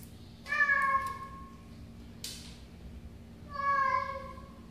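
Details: A cat meows twice, about three seconds apart. Each meow is drawn out, clear and harmonic, with a steady tone in a quiet indoor setting.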